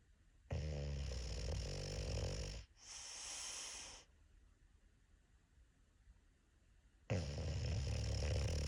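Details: A sleeping English Bulldog snores loudly, with deep rattling inhales broken by a brief quiet pause.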